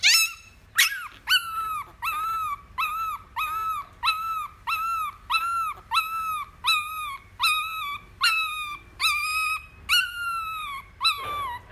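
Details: Miniature Schnauzer puppy, a male, fussing and throwing a fit while being carried: a long run of high, harmonic whining yelps, each rising then bending down, repeated roughly every three-quarters of a second for about eleven seconds.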